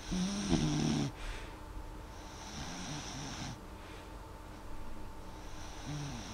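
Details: Sleeping dog Molly gives one louder snorting, tonal snore in the first second, then softer airy breaths drawn in and out at an even pace, with a steady low room hum beneath.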